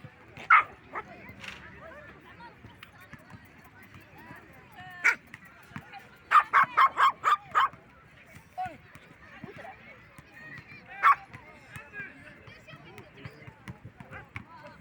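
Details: Poodles, small in size, defending themselves and their owner: a burst of sharp, high yapping barks, several in quick succession mid-clip, with scattered single yips before and after and speech in the background.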